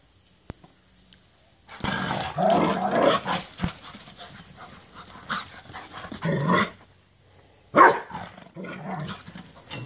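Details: Two Rottweilers playing a chase game; rough, noisy growling bursts come in three spells, around two seconds, near six seconds and a short loud burst near eight seconds, with quiet gaps between.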